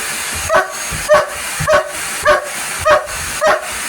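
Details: Indoor police dog barking at a vacuum cleaner, six punchy barks in an even rhythm, roughly one every 0.6 seconds, with a constant appliance drone behind them.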